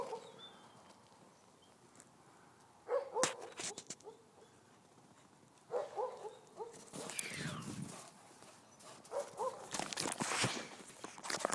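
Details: Grey wolves Lakota, Kiowa and Shadow, three animals living at Cedar Cove, playing in winter snow; short whining yelps come in clusters around three, six and nine seconds, mixed with crunchy scuffling and broad rustling bursts.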